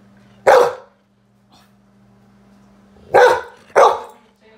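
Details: An angry Golden Retriever gives three loud, deep, harsh barks, a single one followed by a quick pair.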